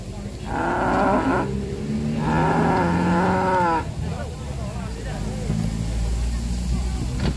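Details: Jumbo cow running amok at a market, sending traders fleeing; two long, loud, harmonic moos, the second lasting over a second and a half, followed by rough crowd voices and background noise.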